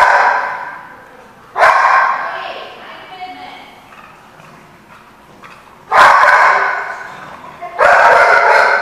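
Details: Dog barking, recorded 13 February 2015 at The Barking Lot: three loud harsh barks at about 1.6, 6 and 7.8 seconds, with quieter muffled sounds in between.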